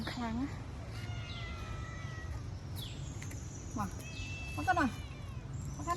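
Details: Stray pagoda cats being fed at an old woman's place give short, falling meows, one at the start and a pair midway, over a woman's talking, with thin whistled bird notes in the background.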